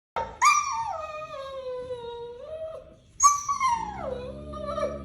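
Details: Pet dog making funny vocal sounds: two long, drawn-out howling whines, each starting high and sliding slowly downward into a lower, wavering tone, separated by a brief pause.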